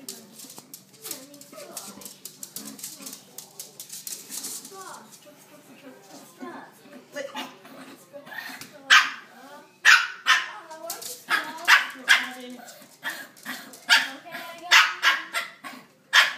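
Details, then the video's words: Two pet Shih Tzu dogs, a younger and an older one, play-fighting indoors; sharp high yapping barks and growly snarls come in quick irregular bursts, growing louder and denser toward the end, with a woman's voice talking at first. "Dangerous Shih-Tzu Dogfighting"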